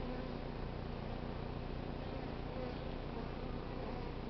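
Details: Many honey bees hum as a swarm taken from a crape myrtle in South Pasadena settles into a new hive. Stragglers march into the entrance while some fan their wings. The thick, even buzzing drone holds a low hum without pause.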